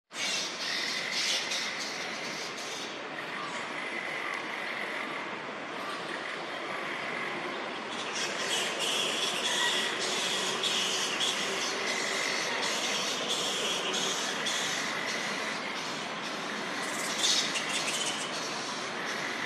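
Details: Flying fox bats at a daytime roost, stretching and moving about before sunset; a dense, continuous chatter of harsh squawks and screeches, swelling into louder bursts of rasping calls around three, eight to twelve, and seventeen seconds.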